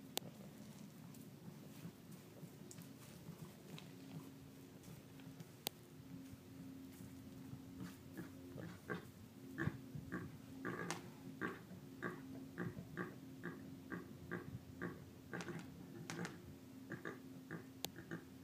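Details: A javelina in a herd in Arizona notices a person nearby and clicks its teeth to alert the others and scare the intruder off: faint, sharp dry clicks in irregular bursts, denser in the latter half, over a low steady hum.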